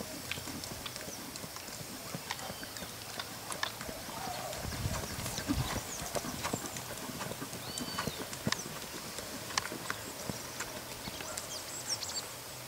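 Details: Brown purebred Lusitano stallion: quiet, irregular hoof thuds and sharp clicks on the ground over several seconds, with faint bird chirps in the background.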